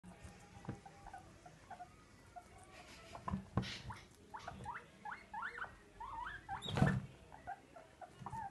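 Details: Grumpy pet male guinea pig that does not like to share his vegetables, giving a run of short, rising squeaks in quick succession midway, among rustling, pattering and a few sharp knocks.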